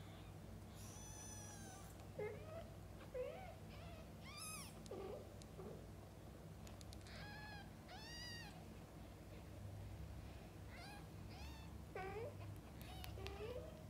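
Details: Domestic mother cats with kittens, birth to eye-opening: a busy run of high, shrill, rising-falling mews mixed with lower meows, overlapping and repeated every second or two, with background hum.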